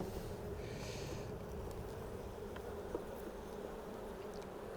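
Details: Western honey bees on a frame of an opened hive during an inspection, before the brood is reached, a steady low droning hum with faint handling clicks.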